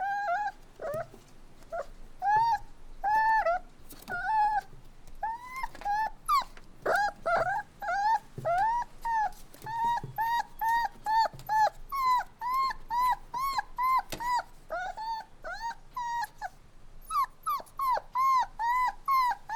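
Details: Several puppies whining and crying indoors, a steady stream of short, high whimpers that rise and fall, densely repeated with little pause over a faint low background hum.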